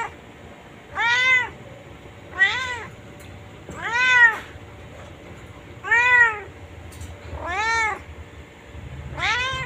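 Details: White house cat held on a chain producing six steady, well-spaced meows, each a rising-falling whine lasting under a second, at intervals of about one and a half seconds.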